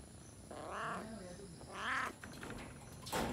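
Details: A jungle cat in a Sri Lankan national park gives two drawn-out, wavering meow-like calls, with a faint clatter afterward.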